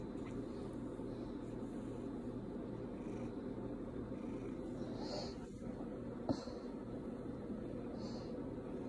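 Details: A male pet cat lies on his owner's lap and purrs steadily, a low continuous rumble throbbing with each breath. The owner calls him a bit clingy.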